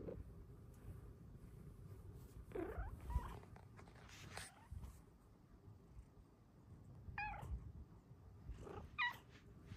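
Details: House cat in a quiet room answering with several short, soft meows spaced a few seconds apart, the last two clearer and higher, with low rustling and a woman speaking gently nearby.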